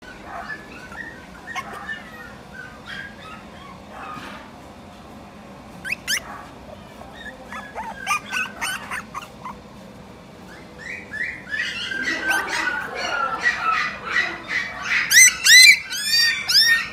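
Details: Shiba Inu with mame-shiba parents, kept in a pet shop: quiet scattered yips at first, then from the middle onward a rising stream of high squeaky whines and yelps, bunched closely together, over a low room murmur.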